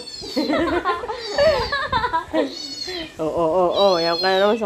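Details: Siberian Husky reacting to dog sounds, giving a run of wavering, rising and falling yowls and talking-like moans with rich harmonics, continuous and loud throughout.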